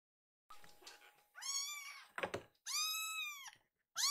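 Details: Two hungry foster kittens, rescued babies, complain indoors while feeding is delayed by slow milk preparation: a faint first cry, then three loud, drawn-out, arching meows with rich harmonics about a second apart, with a few dull thumps in between.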